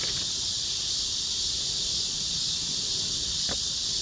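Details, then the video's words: Chorus of cicadas, a continuous shrill buzzing wall of sound at high pitch with no pauses, one brief click near the end. "매미들의 합창"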